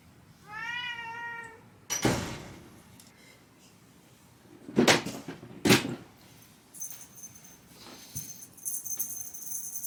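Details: A house cat indoors, at home where a cat door has just been fitted to a room door, gives one short wavering meow. Loud knocks and clattering follow, then a faint high electronic whine.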